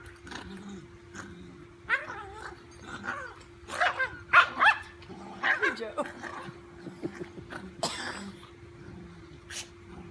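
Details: Dachshund at play with a large golden retriever puppy, giving a mix of rough barks, growls and whiny yelps in an irregular flurry, loudest in the middle, over a constant low hum.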